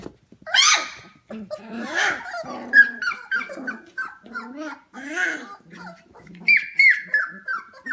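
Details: At 11 pm at home, a litter of 25-day-old F1 Goldendoodle puppies fills the room with overlapping whines, shrill yips and low grumbling squeals. Sharper high-pitched cries cluster near the end.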